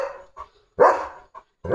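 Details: A pet German Shepherd called Leo, limping on a painful leg, lets out a strong, drawn-out bark followed by a second sharp bark, with softer short yips between them.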